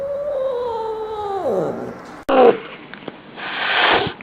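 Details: Angry domestic cat giving a long harmonic wail that holds steady and then slides sharply downward, followed by a sudden clatter and a burst of broadband hissing noise.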